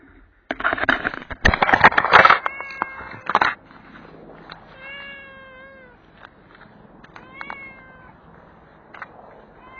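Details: Stray street cat being fed and given a belly massage after eating, outdoors: after a burst of loud clattering, two clear drawn-out meows with stacked harmonics, the first falling slightly, then a shorter meow and soft rustling.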